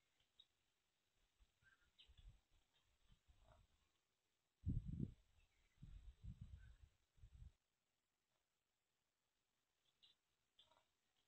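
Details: A sow on a farm in South Africa wakes her piglets on the coldest day of 2023 so far. Low, deep grunts come in a cluster of bursts in the middle, with quiet rustling and a few faint higher squeaks around them.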